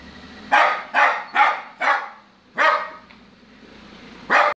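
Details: Lhasa Apso barking because it wants to get into the car: six loud, rough barks in irregular bursts, four in quick succession over about two seconds, then two more spaced out after short pauses.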